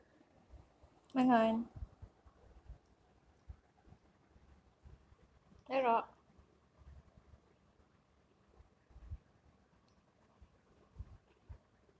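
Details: The Rock, a sleepy pet cat being woken from a long nap indoors, gives two short harmonic meows about five seconds apart in a quiet room, with faint soft rustling between them.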